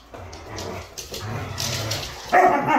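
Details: Siberian Husky dogs playing, making short rough vocal sounds and scuffling noises, ending with a louder, higher whining yelp, with music in the background.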